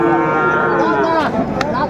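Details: Sahiwal bull calf at a cattle market in Chuadanga, Bangladesh, on 16 January 2025, bought by a farmer. It gives a loud, rich, sustained moo that slowly falls in pitch over two seconds, with crowd noise around.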